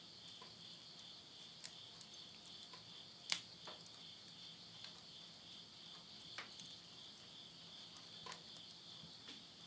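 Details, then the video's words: Insects calling at midnight in September 2020 at the end of summer in the Tottori countryside, Japan: a steady, high, shimmering trill held without pause, with sharp crackles and pops from wood burning in a stove. "mid night the voice of insects"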